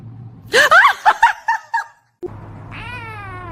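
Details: Cat in a funny cat compilation making a quick burst of about six short chirping meows, then a pause and one rising, drawn-out meow over a low background hum.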